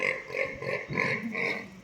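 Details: Pig under attack by a Rottweiler dog in Gadag District, Karnataka, India: a run of tonal, nasal squealing cries repeating roughly every third of a second over steady background noise.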